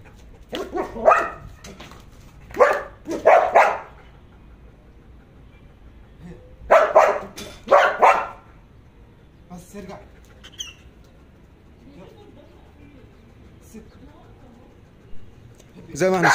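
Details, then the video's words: Jax, a Belgian Malinois in guard-dog training, barks on command while holding back from attacking. Clusters of loud, sharp barks fill the first eight seconds, mixed with a man's voice, then quieter sounds and a final loud burst. "تدريب الكلب على النباح بالأمر بدون الهجوم"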